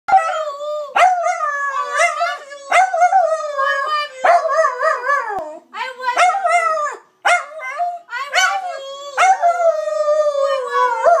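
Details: Dusty the Dachshund howls an affectionate "I love you" to his owner, a string of drawn-out, wavering harmonic howls, each starting with a sharp rise then sliding and trembling, separated by brief breaths.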